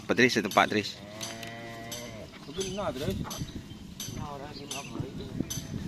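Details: Cattle at a karapan sapi (bull race) training session at the Asemanis field in Pamekasan. Short, low harmonic lowing calls over a noisy crowd background with voices and clatter.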